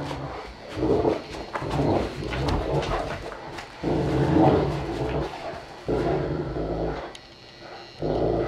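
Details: Saint Bernard dogs, a four-year-old parent named Joseph and his one-year-old offspring Stitch, indoors; low, rumbling growl-like voicings in broad bursts of about a second, separated by brief quiet gaps.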